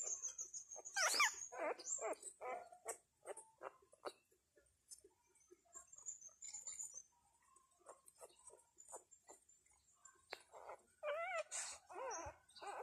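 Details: Newborn Thai dog puppies, two days old, one of a litter of five with their mother, crying while hungry for milk; thin squeaky whimpers and short wavering squeals come in irregular bursts, fairly faint, with rustling between.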